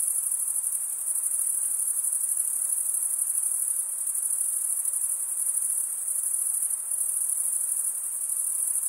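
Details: An unbroken shrill chorus of stridulating male crickets, wings rubbed together. The high, rapidly pulsing ring stays even in volume throughout, dipping only slightly a few times, with nothing else heard.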